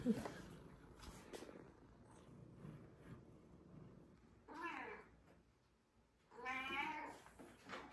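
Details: Jango, a young rescued kitten brought in blind, meowing during eye surgery: a short, wavering meow midway, then a longer, louder drawn-out meow near the end. Quiet room hum and handling clicks at the start.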